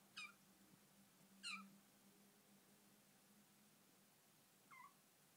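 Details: Bengal kitten, indoors in her new home, talking: three short, high, squeaky meows, each quickly falling in pitch, spaced irregularly over about five seconds with quiet gaps and a faint steady hum behind.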